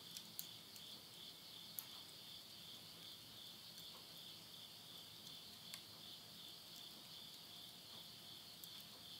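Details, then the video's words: Late-summer night insects in rural Yurihama, Japan, recorded at midnight in September 2020: an unbroken high, ringing trill forms a constant backdrop while occasional faint pops come from firewood burning in a stove. "the voice of insects"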